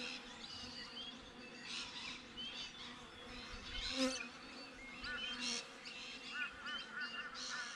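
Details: Many Western honey bees (Apis mellifera) droning steadily outside a backyard beehive, with brief bird chirps above. Finding: Western honey bee.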